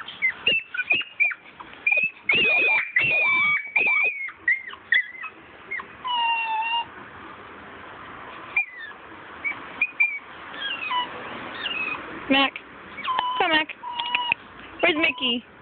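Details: Miniature Schnauzers at a weekend socializing session: two salt-and-pepper puppies, a small dark female and a lighter male, with a black adult male and a salt-and-pepper adult female. High, wavering whines and sharp squealing yelps come in quick bursts, some sliding up and down.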